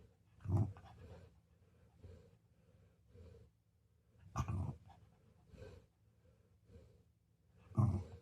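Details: Golden Retriever snoring while asleep indoors: low rumbling breaths with three loud snorts near the start, middle and end, softer rhythmic breathing between them in a quiet room.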